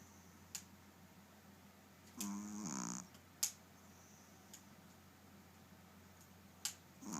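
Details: Snoring from Maci, a dog, in a small quiet room: one drawn-out rattling snore lasting nearly a second, framed by a few sharp ticking clicks and steady low hum.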